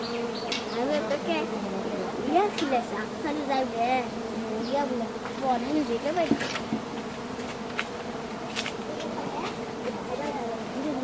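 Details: Steady, thick droning of many giant honey bees in a forest while honey is gathered from their colony, pitch sliding and wobbling as individual bees pass, plus faint clicks and scraping sounds.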